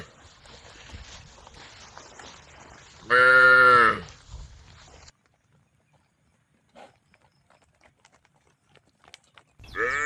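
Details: From a herd of tame female cows calling to one another comes one loud moo of about a second, then near silence with scattered small clicks, and the start of another moo at the very end.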